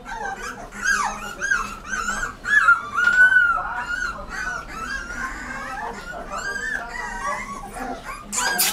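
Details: Rottweiler puppy whimpering almost nonstop, with thin, nasal whines that slide up and down in short looping phrases, and occasional brief yips between them.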